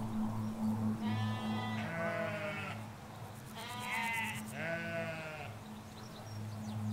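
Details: Ewes and lambs in a Hampshire countryside field, England, several sheep bleating in turn: four long wavering bleats with rich stacked harmonics, some rising then falling, over a steady low rumble of road traffic and faint birdsong.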